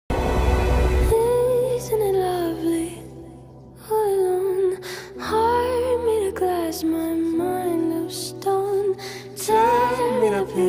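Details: A woman sings a slow, lullaby-like melody over steady low instrumental backing, with no animal sounds heard.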